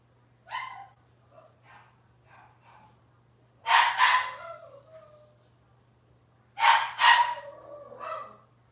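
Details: Robin's Cavalier King Charles Spaniel puppies on an indoor kitchen camera stream on a Wednesday morning. A faint yip comes first, then two bursts of sharp, high puppy barks in quick doubled pairs. Soft whimpers trail off between the bursts over a low background hum.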